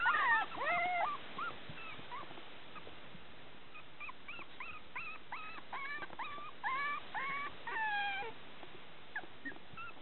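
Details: A female Pembroke Welsh Corgi puppy with a natural, undocked tail, near Tallahassee, Florida, whimpers in thin, high, wavering squeaks that come in quick bursts.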